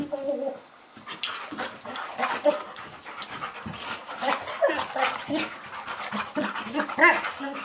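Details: Fighting Labrador Retrievers: a dense, noisy scuffle of snarls and brief yips, with scattered sharp high cries throughout.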